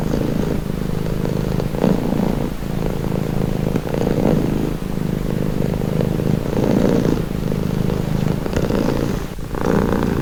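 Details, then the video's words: Domestic cat purring continuously, a low rumbling throb with pulses of louder breathing roughly every second, steady and unbroken, with faint rustling in the background. "Purring cat"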